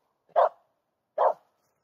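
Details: Two abrupt barks about one second apart from a female Finnish Spitz hunting a hidden squirrel in a summery local forest in mid August.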